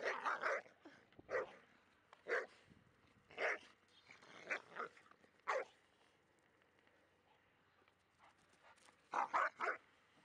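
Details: Labrador Retriever, a pet female dog, barking noisily while playing with a Staffordshire Bull Terrier, not aggressive; bursts of harsh barks in clusters, a quiet stretch in the middle, then a rapid triple bark near the end.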